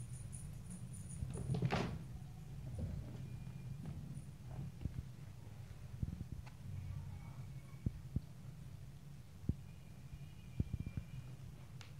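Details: Low indoor hum broken by a sliding, cupboard-like scrape early on and scattered light taps and clicks later, with no animal calls.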